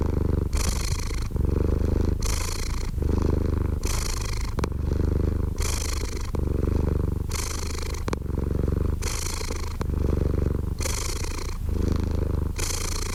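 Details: Long run of cat purring, a throaty vibrating rumble pulsing in even breaths roughly every 1.5 seconds, brighter raspy phases trading with deeper hums, with no background noise.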